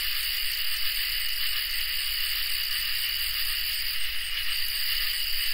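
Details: Crickets and katydids in a summer night chorus: steady, dense high-pitched trilling in several layered bands, unbroken and even in loudness throughout, with no other animals or people heard.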